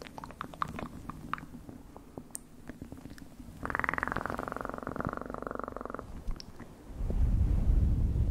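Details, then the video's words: Cat purring in a quiet room; scattered clicks and taps first, then a strong, rapidly pulsing buzzy purr for over two seconds, followed by a low rumbling noise at the end. "1 Hour Of Best PURRING sounds"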